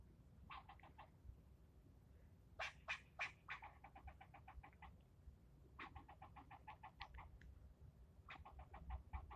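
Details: Angry squirrel yelling at a person filming it, keeping up the scolding for nearly ten minutes: repeated bursts of fast, harsh barks, some runs opening with louder strident notes, with a steady low hum underneath.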